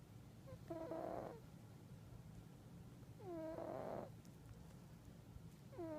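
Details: Sleeping house cat snoring, two full rasping breaths and the start of a third, each snore a nasal, slightly whistling buzz that bends upward at its onset, against a constant low hum.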